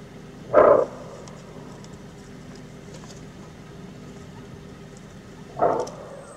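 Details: Bark alarm call of a greater kudu, Kruger National Park: a single abrupt gruff bark, then a second, slightly softer one about five seconds later, with a constant low rumbling drone and faint crackles behind.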